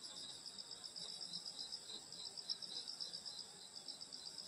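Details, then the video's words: Countryside summer night chorus of insects near a grandmother's home, several high-pitched trilling voices layered together, pulsing roughly four times per second with slight swells in loudness. "여름소리 풀벌레소리 시골밤소리"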